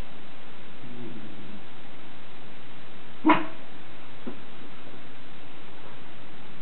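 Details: A Schipperke called Captain Jack Sparrow guards the house with a single abrupt, punchy bark midway, followed by a fainter short yap, against steady room hiss.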